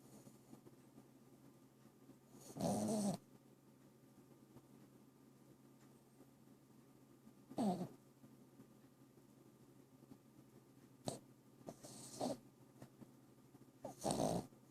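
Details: Bobo, a dog, snoring in a quiet setting: rough, rasping breaths about four to five seconds apart, some short and some drawn out, with near silence between them.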